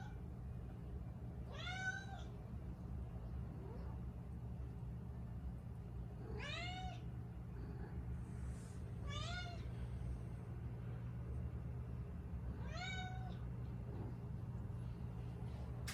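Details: Bonchan, a five-year-old female Siberian cat living with two other cats in a Canadian home, talking a lot: four clear meows spaced a few seconds apart, each a harmonic-rich call rising then falling, over a steady low household hum.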